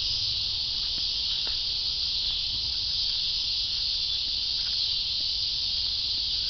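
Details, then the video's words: Unbroken, shrill, high-pitched cicada drone holding at the same loudness throughout, with a few faint clicks. "Cicadas: part 2"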